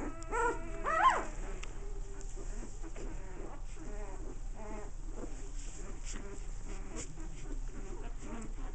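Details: American Bulldog puppies at play give a short burst of high, whining yelps in the first second, then low scuffling and rumbling noise fills the rest, with a human voice repeating the word puppies.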